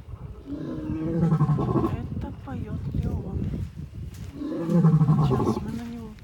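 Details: Two lions, Malysh and Leon, at Taigan safari park give deep, throaty roars in two heavy bursts during their loud evening roaring as the savanna darkens, while a woman talks nearby.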